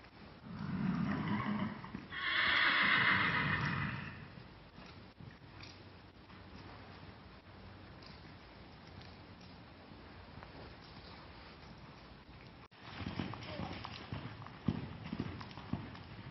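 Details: Shasta, a 7-year-old 15-hand Kentucky Mountain Saddle Horse mare used for trail riding, arena work and cattle, gives a loud, harmonic whinny lasting about three seconds at the start, followed by quieter background noise and faint hoof sounds.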